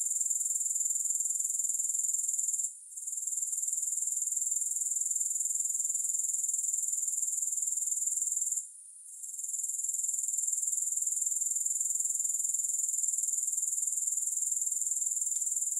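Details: Continuous shrill, hissing insect chorus from grasshoppers, pulsing steadily about four times per second, broken by two brief near-silent dips; nothing else audible.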